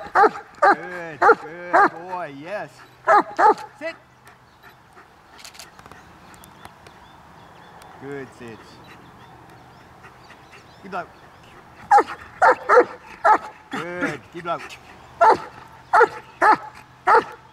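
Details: German Shepherd trained to bark on and off on command: bursts of rapid barks mixed with wavering whines, a quiet pause in the middle, then a second steady series of barks, with a handler speaking briefly.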